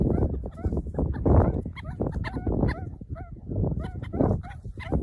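Meerkats chatter in a busy stream of short, squeaky chirps and peeps over a low rumble.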